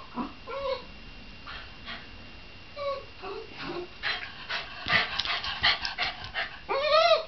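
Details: Shiba Inu dog giving short tonal whimpers and yips, a few rising-then-falling whines, then a run of rapid scratchy bursts and a final drawn-out, wavering yelp.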